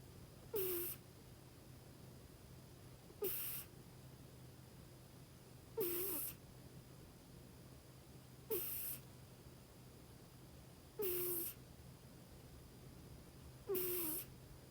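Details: Female Scottish Fold house cat named Kinako dozing contentedly on her owner's lap, snoring in regular breathy snorts with a short nasal tone at each breath, roughly six snores spaced evenly over fifteen seconds, faint room hum beneath.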